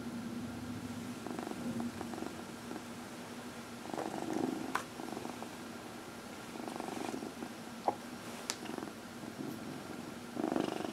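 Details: Cat massaged indoors and purring, one of four pet cats: low continuous rumble with intermittent louder pulsing stretches, plus occasional small clicks and rustles of handling.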